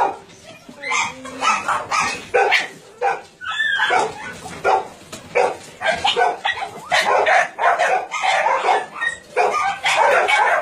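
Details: Many dogs barking together at a Nonsan, South Korea meat farm and puppy mill, January 2017, where about 150 dogs of breeds such as Doberman, Shar-Pei, Chow Chow and Golden Retriever are kept; a continuous chorus of short, harsh barks.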